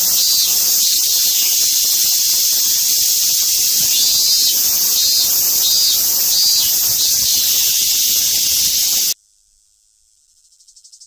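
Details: Cicada producing a loud, continuous shrill buzz, high and hissing, held evenly for about nine seconds before cutting off abruptly, followed by near silence with a faint pulsing trace rising at the end.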